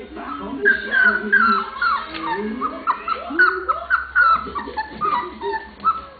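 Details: Lola's litter of 27-day-old pups at play with each other, letting out a steady chatter of shrill, falling squeals and short yips, many overlapping, with soft low grunts underneath.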